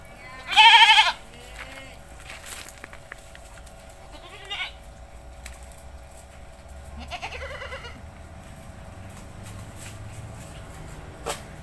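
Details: Village goat being given a bath gives one loud, quavering bleat near the start, then a softer, shorter bleat several seconds later, with faint background noise and small clatters in between.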